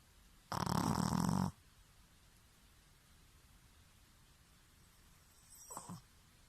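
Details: Pekingese named Bobo, a rescue dog sharing a home with a Shih Tzu, letting out one loud, harsh, buzzing snore lasting about a second, then near silence with a faint snuffle toward the end.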